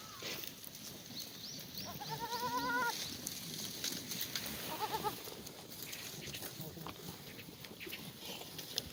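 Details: Korean black goats on a farm in Gimhae, South Korea, on a sunny late-March Sunday morning during a cold snap that froze the water trough. One long wavering, quavering bleat, then a shorter bleat, with farmyard rustling and clatter.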